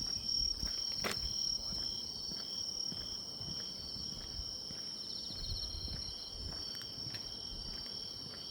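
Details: Autumn grass insects in song beside a walking path: overlapping shrill, sustained trills hold steady at several high pitches, while footsteps and a sharp tap near the first second sound underneath.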